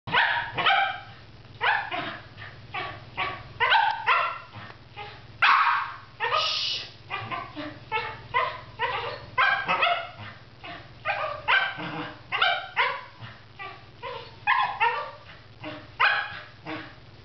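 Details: Pet dog barking after spotting a squirrel: a steady run of sharp, harsh barks, roughly two per second, some doubled, continuing without pause over a low steady hum.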